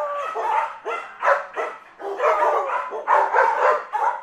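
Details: Dog barking in a quick series of short, sharp barks with rising onsets, several close together then brief pauses; no other sounds.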